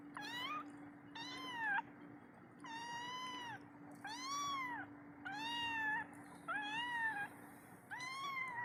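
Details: Kitten left alone by its mother, calling her for milk: seven clear, high meows, each arched and slightly falling at the end, coming roughly every second, over a steady low hum.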